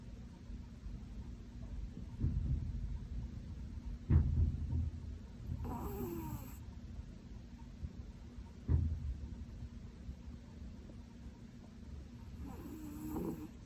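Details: Pomeranian named Korosuke, a retired breeding dog, asleep with an angelic face, snoring loudly: deep low rumbling snores with sharp louder snorts near four and nine seconds, and a few brief higher squeaky breaths between.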